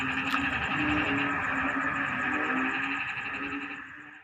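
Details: Many frogs in flooded rice paddies during the onset of the rainy season, a choir-like chorus: quick repeated low croaks over a continuous buzzy drone and a high beaded trill, the sound fading away at the end.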